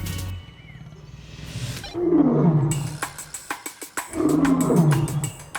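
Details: A male African lion in a zoo gives two deep, rumbling roars, each sliding downward in pitch; his roar carries across the whole zoo and warns rivals or predators away from his territory.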